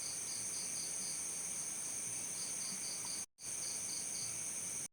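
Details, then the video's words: Cricket giving short high chirps in small bursts, some pulses in close pairs, with a brief dropout partway through and a steady high-pitched hum underneath. "efek suara jangkrik"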